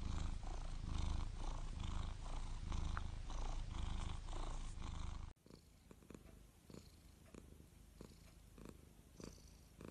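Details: A cat's strong, rapid pulsing purr rumbles for about five seconds, then cuts to a quieter passage with soft scattered clicks.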